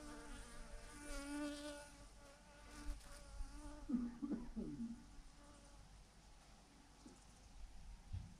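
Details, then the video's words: Honey bees by the thousands hanging in a clump on a branch; a close buzzing bee in the opening seconds, brief wavering whines mid-clip, then a low steady hum. "thousands of BEES hanging on a branch in a massive clump"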